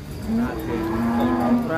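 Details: A single sustained, low, droning moo from Bimasakti, a heavy bull coming down off a truck, steady in pitch for almost two seconds, with faint crowd noise behind.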